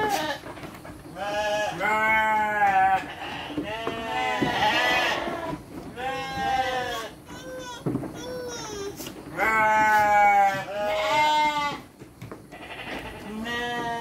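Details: Several farm sheep calling repeatedly as children hand out dry feed, with overlapping quavering bleats of varying pitch coming every second or two and some voices in the background.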